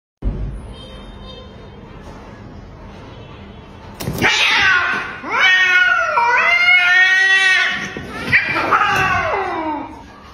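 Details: Domestic cats fighting: after four seconds of low background hiss, loud harsh wavering yowls and screeches with bending harmonics rise and fall in overlapping bursts, ending in a descending wail.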